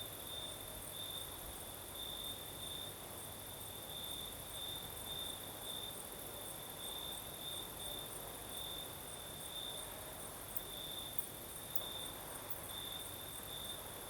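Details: Crickets singing at night in the south of Crimea with a night breeze: a steady high trill holds one pitch, pulsing in bright bursts about every second, over a broad soft hiss of wind and a second shimmering chorus higher up.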